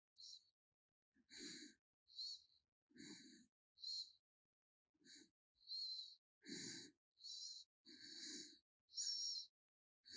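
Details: A pet raccoon named 개똥이 snoring in its sleep: breathy, hissing bursts with a low rasp, each about half a second long, coming roughly every second, separated by short silences.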